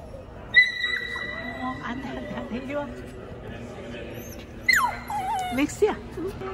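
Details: Dog waiting in a car at the Richmond Olympic Oval parking lot during ice hockey practice gives long high steady whines and whimpers, with a person speaking softly nearby.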